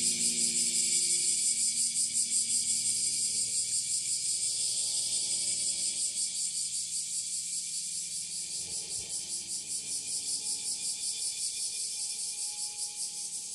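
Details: A bear cicada in northern Kyushu, Japan, on 26 July 2023, just after the rainy season ended, sings at full power a little distance away. It gives a loud, dense, hissing buzz throbbing in quick, even pulses without a break, with faint low hums beneath.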